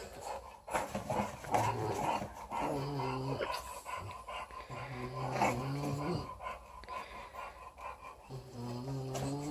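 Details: Female English Bulldog puppy, four weeks old, playing with her teddy bear: a series of short, low, buzzy growls, four bouts of about one second each spread over the stretch, with handling noises between.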